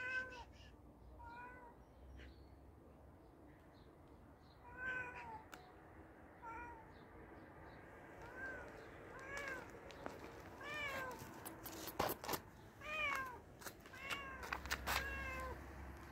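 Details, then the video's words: Hungry cat being fed, many short meows in a steady series, some rising then falling, with clattering and clicks, likely from feeding, in the second half. "The cute cat was hungry and I fed him"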